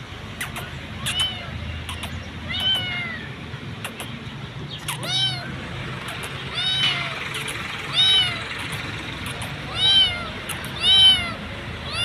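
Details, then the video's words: Hungry street kitten found sitting in an electric pool, called over and fed; repeated high arched meows with rich harmonics, about every one to two seconds, growing louder toward the end, over steady traffic hum. "I saw the hungry kitten sitting in the electric pool I called her and fed her."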